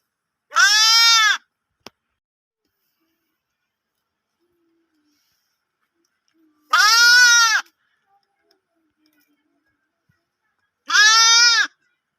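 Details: Lamb bleating loudly: three separate harmonic baas, each under a second long, spaced about five to six seconds apart, otherwise quiet with a faint click.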